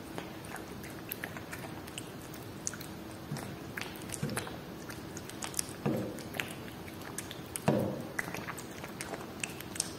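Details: Whiskas salmon being eaten by a cat: crisp bites and chewing clicks about every two seconds, with a few louder crunches near the end. The background is quiet.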